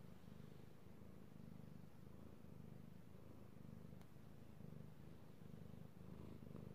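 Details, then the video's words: Io the house cat, male, being petted and purring, recorded 3/16/18; low vibrating purr in repeated swells about once a second, a faint tick midway, calm indoor quiet. "Petting Io the Kitty Cat / ASMR Cat Purring"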